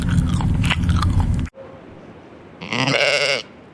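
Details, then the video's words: A pet goat gives one harmonic bleat near the end, preceded by loud crunching and rustling noises. "suara kambing kesayangan"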